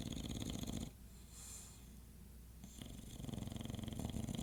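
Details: At 2:50 am, an English Bulldog snores with deep, rattling, rhythmic breaths.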